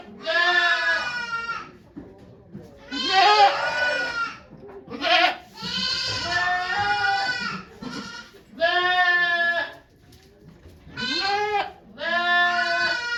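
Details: Bleating goat recorded at Yoshigake Farm on 3 May 2023 while Okayu gave birth to two kids with volunteers present; roughly seven strong, nasal bleats of varying length come in quick succession with brief gaps.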